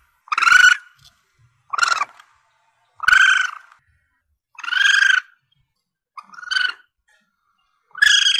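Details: A young Asian palm civet gives harsh, mewing squeals about every second and a half; the recording is meant for hunters to use as a lure to call in targets.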